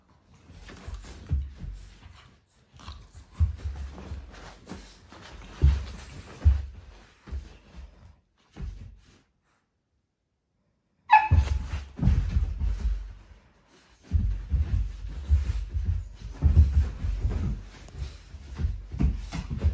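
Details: Cane Corso puppies in their morning sparring routine indoors: bursts of low snorting, huffing and grunting scuffles, a quiet pause mid-way, then play resumes with a brief sharp squeak and more rough, breathy tussling.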